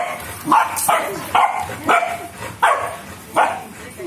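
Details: Rottweiler puppies at the start of their training give short, high yipping barks about once every second, with a person talking nearby.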